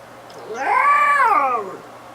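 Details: Female cat, kept as a pet since ten weeks old, making a funny drawn-out sound while yawning: a single tonal wail of about a second that rises then falls in an arch, loud and clear indoors.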